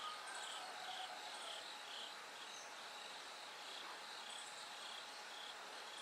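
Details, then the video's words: Bell cricket song in the dark hours before daybreak: rhythmic high-pitched ringing pulses, slightly uneven, woven into a thick insect chorus with scattered higher chirps overhead. "bell cricket Cry of falling insects"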